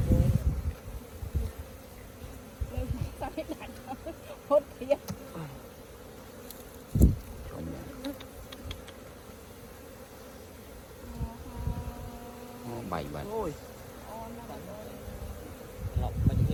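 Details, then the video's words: Hives opened to take out honey, the honey bees keeping up a steady, even drone, broken by occasional knocks, handling sounds and a few short spoken phrases from people nearby. "See beautiful honey in bee hives"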